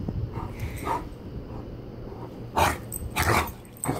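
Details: Great Dane (Canis lupus familiaris), bark.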